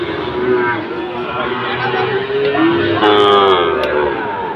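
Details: Sahiwal bull at the Ambari cattle market, where Chattogram traders are buying, on Monday 24 July; a low drawn-out tonal moo rises and falls around two to three seconds in, over crowd chatter and background music.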